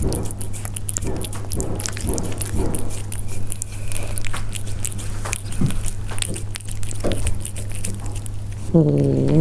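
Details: Persian cats eating, heard up close: dense crackly clicks and wet chewing bursts run throughout over a steady low electrical hum, ending with a short tonal, harmonic call in the last second.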